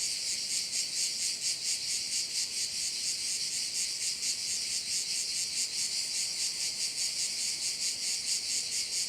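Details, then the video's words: Crickets heard at one of the bays on Korčula, their high hissing buzz throbbing in a fast regular beat a little over twice per second, continuous from start to finish. "view of one of the bays in Korcula with sounds of crickets"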